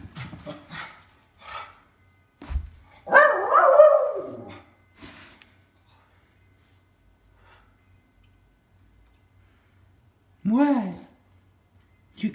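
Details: Miniature schnauzers, two dogs at home as their owner arrives, give a loud rough bark burst lasting over a second. Later comes a short rising whine with clear harmonics, plus scattered thumps and a person's voice.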